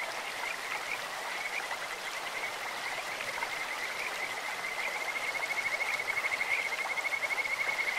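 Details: Stream-dwelling Kajika frogs sing over a clear flowing stream; after scattered short notes, a sustained rapid trill of bright, bird-like pulses runs from about five seconds to the end, the water rushing throughout.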